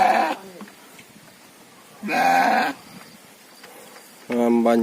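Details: Sheep kept on a modern fattening farm, called domba or kibas: three separate bleats a couple of seconds apart, the last a steady, nasal, harmonic-rich call, with quiet pauses between them.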